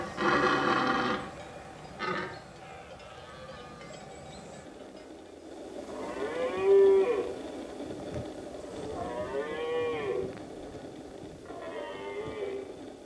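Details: Red deer in rut, late September, on Pyrenean summer pastures shared with cows and horses. A loud opening bellow is followed by several drawn-out, wavering moaning roars at lower volume, with quiet pauses between.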